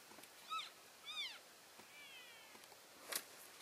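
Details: Elk keeping contact within the herd as it moves from one grazing area to another, February 3, 2012; two short arched chirps about half a second apart, then a fainter descending squeal and a brief crackle.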